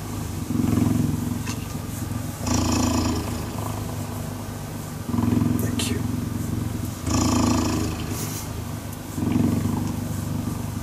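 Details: A cheetah purrs while cuddling, the sound made as it breathes in and out. Loud, deep, rhythmic rumbling swells and eases in alternating phases about every two seconds, with breathy rustle.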